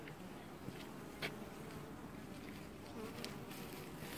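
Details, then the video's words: Honey bees washboarding on the hive in an apiary, early July 2019; a short stretch of constant busy buzzing with light crackling clicks. "Washboarding Bees"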